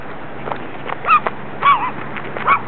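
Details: Running dogs giving short, high, wavering whine-like yelps in three bursts near 1.1, 1.7 and 2.5 seconds, each bending up and down in pitch, over a steady background rumble.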